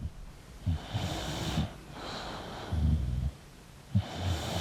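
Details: Sleeping English bulldog breathing noisily, with softer, snorting snores in short low bursts roughly every one to two seconds over a faint background hiss.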